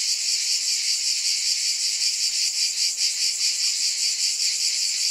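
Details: Shrill, unbroken cicada buzzing, high and hissing, with a gentle wavering in loudness over a few seconds.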